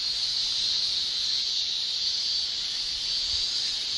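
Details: Male cicadas shrilling in a Japanese summer, tymbal song forming a steady, dense high-pitched drone that barely varies across the short stretch.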